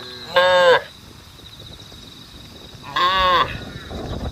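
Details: Two loud, rich moos from cattle on a road calling to the herd, each under half a second, separated by a quiet pause with faint background noise.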